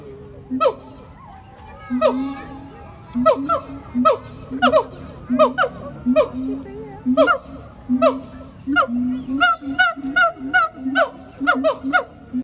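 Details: A Sumatran siamang, said to be the father, at Solo Safari zoo in Surakarta, Central Java, gives loud, honking barks in a rapid, uneven series on a weekend, with people talking nearby.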